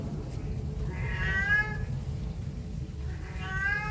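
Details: A cat that constantly meows near people gives two fairly faint, wavering meows about two and a half seconds apart, half buried in a steady low background rumble.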